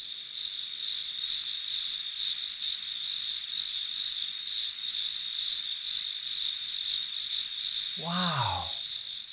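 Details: A cricket gives a steady, shrill, high-pitched trill, a chirping made by rubbing its front wings back and forth rather than singing; males make this sound to attract a mate.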